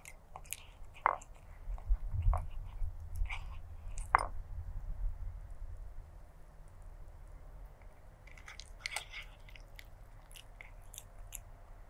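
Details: A stray black cat eats, with loud crunchy bites and chewing thuds bunched in the first seconds, then softer scattered crackles and lighter chewing as the meal continues, with a quiet room hum beneath.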